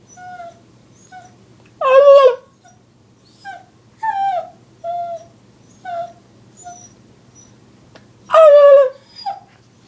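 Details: Dog reacting to annoying sounds gives two loud, sharp yelping barks about six seconds apart, with a string of brief, soft whining notes between them.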